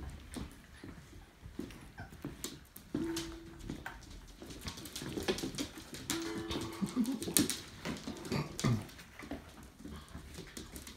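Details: Labrador Retriever puppies, six and eight weeks old, from the Labradorzucht vom Kloster Marienthal kennel, indoors; thin, steady whining whimpers rise out twice, once briefly and then a longer drawn-out whine, over constant clicking, scuffling and tapping.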